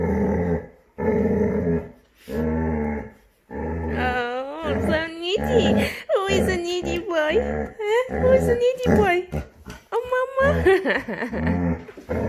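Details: A male Labrador puppy, usually quiet, on waking in the morning lets out long, low cow-like moaning groans, then whiny yodelling cries sliding up and down in pitch, in uneven bursts inside a quiet room.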